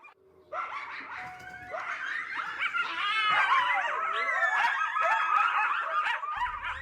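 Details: Several coyotes recorded at night, around three in the morning, in a North American setting: overlapping wavering howls and high yapping barks, pitch sliding up and down continuously, a dense chorus building after a quiet start and holding steady.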